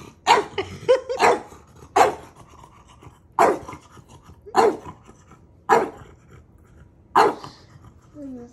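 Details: Maui, a family dog, winding up his big brother with about seven loud, clipped barks at uneven intervals, some doubled, plus light panting and a brief high whine at the end.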